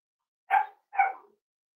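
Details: Cavalier King Charles Spaniel puppy, almost 8 weeks old, giving two quick, bright barks about half a second apart, each fading at the end, indoors with no other sound.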